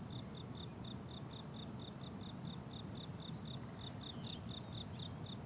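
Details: Crickets on a blooming summer meadow in a rural setting, giving short, high, evenly spaced chirps that grow louder toward the end, over a low steady rumble.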